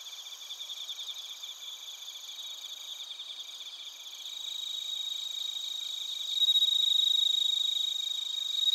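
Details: Recorded in Narita, Chiba, Japan with a TASCAM Portacapture X8, bell crickets and other crickets keep up a rapid high pulsing chorus that swells louder midway, joined near the end by a clear sustained ringing tone.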